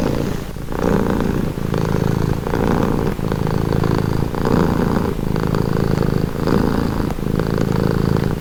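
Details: Domestic cat purring steadily and close, a low rumbling drone pulsed into phases of about a second each as the cat breathes in and out, with a brief dip near half a second; no other sounds stand out.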